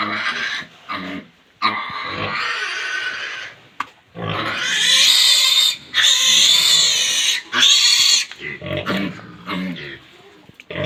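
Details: On a pig farm at feeding, several pigs squeal loudly in long, harsh, piercing bursts, some several seconds long, alternating with brief silences and lower grunting between outbursts.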